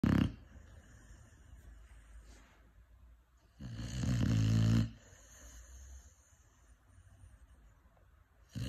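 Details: Five-month-old Cane Corso puppy snoring: long rough inhalation lasting about a second, with a shorter snore starting at the very start and another at the end, quiet breathing between.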